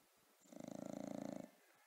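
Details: Pet bulldog Rocko, asleep, lets out a single rattling snore lasting about a second: a rapid, buzzy flutter of pulses over a steady low hum, with a quiet room before and after.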